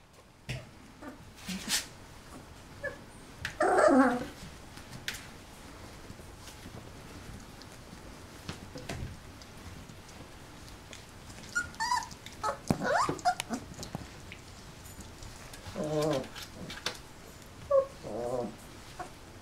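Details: Golden Retriever puppies, 27 days old, indoors with their mother Penny; scattered short, wavering whimpers and whines at intervals, with a louder burst near the start and softer squeaks later among faint rustling and clicks.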